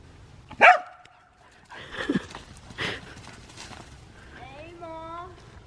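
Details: Reese, a dog, barking at cars on 29 January 2024: one sharp, loud bark right at the start, then people talking and a drawn-out, higher tonal voice near the end.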